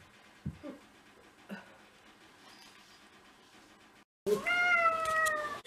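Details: House cat from a home with six pet cats, on a day of first snow in February 2023; faint rustling and soft knocks, then after a short silence one loud, drawn-out meow with rich harmonics, slowly falling at the end.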